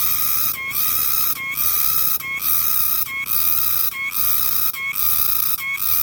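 A green cicada gives a loud, shrill, steady buzz, broken by a brief gap almost every second.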